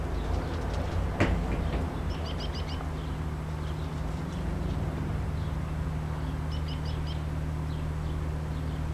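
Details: Honey bee swarm from a hive that swarmed on May 13, 2012: a steady, low droning hum with layered tones, while small birds chirp in short high trills twice in the background.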